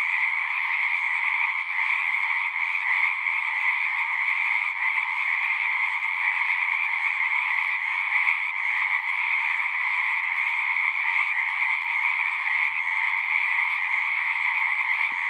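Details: Many frogs singing together at a horse-pasture pond, captured on a Zoom 6, forming a continuous high, shimmering trill that holds evenly for the whole stretch without breaks or other clear sounds.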